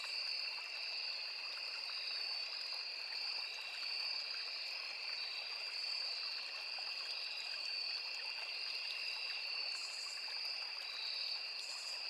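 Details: Crickets, cicadas and other insects in a forest beside a small river: a dense, unbroken chorus of high, steady shrill tones layered in two bright bands, pulsing slightly, with soft hiss of flowing water beneath and a brief extra buzz near the end.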